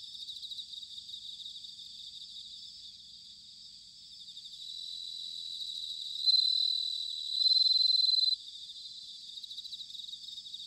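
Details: Autumn bell cricket song from Sanuki, Chiba, Japan: a steady high chorus of fine trills, then one nearby insect rings out loudly with two sustained, bell-like notes, each about a second or more long, before the chorus settles back.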